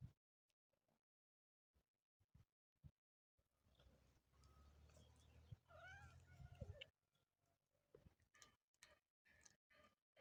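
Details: Motherless kitten giving a faint meow near the middle, a short curved cry with rising and falling overtones, set among scattered clicks, rustling and handling noises before and after.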